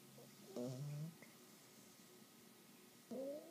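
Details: Asleep at 12 weeks old, an English Bulldog puppy gives two rattly nasal snores, one short and low-ending and a later one rising, with soft breathing between.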